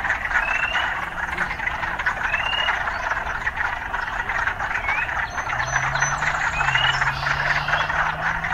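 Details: Frogs chorusing in an urban area, a constant buzzy din with occasional upslurred whistles, while a low engine-like hum from passing traffic rises midway.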